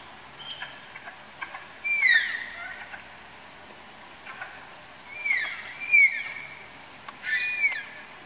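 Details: Pairing Malayan tapirs in their Tama Zoological Park enclosure, Japan: thin descending whistle-squeals, some doubled in quick succession, arriving in three loud bouts with quieter clicks and faint squeaks between them.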